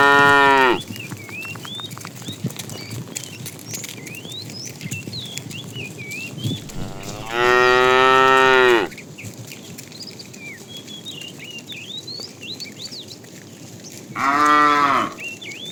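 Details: Tame cows being herded to green pasture in the morning, mooing: a brief low moo at the start, then two longer harmonic-rich moos about seven seconds apart, with birds chirping throughout.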